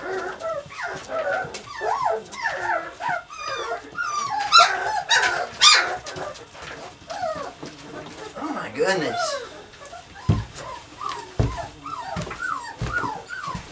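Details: Puppies playing produce a run of rising-and-falling whimpering yelps, roughly one a second, with overlapping squeals mid-stretch, a person talking over them and a few dull knocks near the end.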